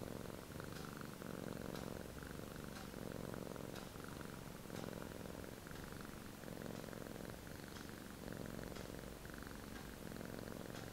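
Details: Relaxed male Sphynx cat in deep snoring, a rhythmic rasping breath repeating roughly every one and a half seconds, continuous low rumble underneath, no other sounds.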